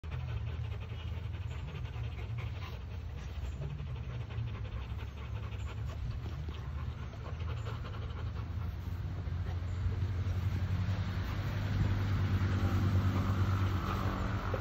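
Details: Rottweiler with sand on its body, panting in quick, breathy, rhythmic pulses of roughly two per second, over a steady low rumbling hum that grows slightly louder toward the end.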